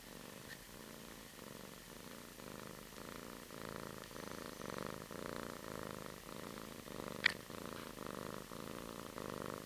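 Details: Kitten purring softly as it wakes up in its kitten bed indoors; a quiet, steady rumbling purr that swells and fades in regular cycles about twice per second, with one sharp click near the end.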